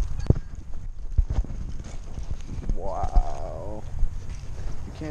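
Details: Siberian Husky puppy, three months old and frightened on its first visit to a dog park for National Dog Day, gives one rising-then-falling whine in a single drawn-out cry, over wind rumble, footsteps and Spanish conversation.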